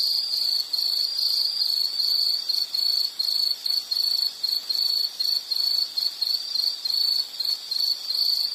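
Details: Insects calling in rhythmic pulsed bursts of high chirping, short gaps between phrases roughly every half second, steady background hum.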